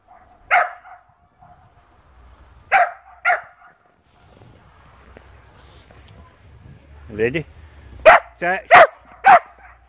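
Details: Lexi, a puppy playing in snow for the first time alongside Luna, gives short, sharp, loud barks: three early, then a quick run of four near the end, with a man's brief spoken words between.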